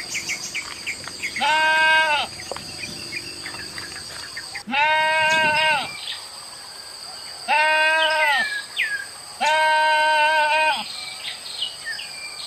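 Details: Goats kept in a village and released to graze wild grass in grass fields from morning to evening; four loud, drawn-out bleats, each about a second long with a slight wavering quaver, separated by quieter gaps of faint chirping.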